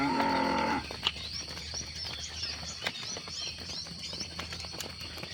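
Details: Cattle during evening herding at sunset in the countryside: a short, deep, harmonic moo opens and lasts under a second, then fades out as chirping birds and a steady high insect whine take over.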